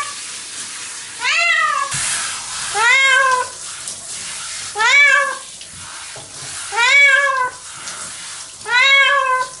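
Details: Pet cat Nora protesting her shower; five arched, harmonic meows about every two seconds over a steady hiss of running water.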